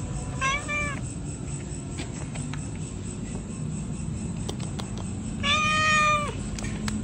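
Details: Pregnant domestic cats meowing: a short meow at the start and a longer, louder, sustained meow near the end, separated by quieter background noise.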